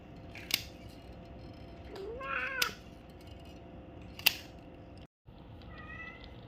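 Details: Domestic cat, one of four having their ears cleaned, gives a drawn-out meow that rises then falls midway. A fainter, shorter meow comes near the end. Sharp clicks and snips from grooming tools punctuate the recording.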